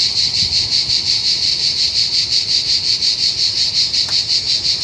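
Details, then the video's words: Cicadas massed at a car park shortly before Montpellier in southern France, a loud chorus: a continuous, shrill, high buzzing drone that pulses steadily about three times a second, with a faint low rumble beneath. "Zikaden in Südfrankreich ein riesen Lärm"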